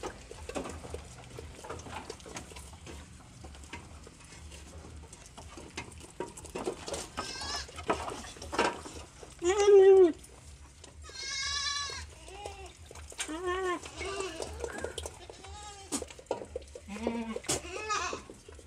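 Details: Several one-month-old goat kids practising eating corn offal, giving wavering, quavering bleats around the tenth and twelfth seconds plus shorter bleats later, with quiet rustling and handling noises between calls.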